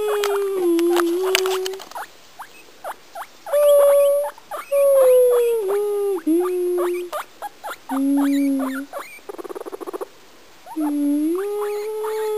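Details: A house guinea pig sings a little song, a string of drawn-out whistled notes at shifting pitches, some swooping down then up, laced with rapid chirping stutters and a short buzzy rattle midway.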